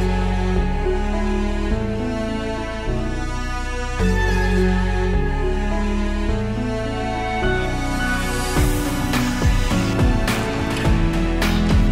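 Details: Soft instrumental music with sustained, layered tones that brightens with sharper percussive accents after about eight seconds.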